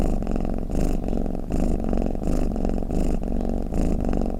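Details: Sleeping cat's purr as a low rattling hum, rising and ebbing with each breath in roughly regular swells, close and muffled with nothing else audible.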